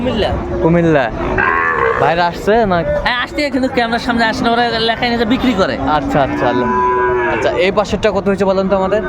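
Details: Several small bull calves at a Comilla, Bangladesh cattle market on 6 January 2025 give rising and falling lowing moos that overlap densely, with a crowd talking in the background.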